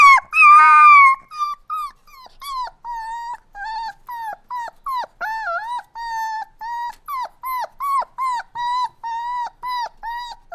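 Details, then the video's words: Puppy crying opens with one loud, long whine, followed by a fast, even series of short, high whimpers, each rising and then dipping in pitch. "Cute Puppy Crying Sounds | Dogs Whining"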